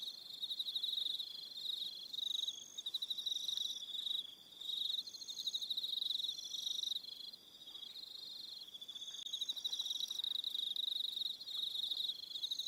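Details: Evening on Aroha Island, New Zealand: a chorus of many crickets with overlapping high, pulsed trills that swell and fade in waves, and no other clear sounds.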